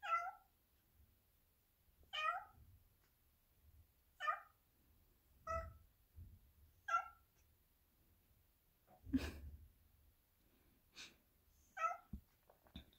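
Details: Black Persian cat kept in the house and wanting to go out, meowing insistently: short harmonic meows repeated roughly every two seconds, about seven in all, with a few knocks and clicks between them.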